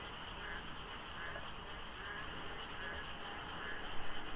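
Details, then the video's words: Pre-dawn frog chorus in the monsoon rains at the Deokso expressway interchange, light fog and sparse traffic: many overlapping croaks pulse steadily, with a low traffic hum underneath. "장마 중인 새벽 고속도로 덕소IC에 어둠을 가득 채운 개구리 소리"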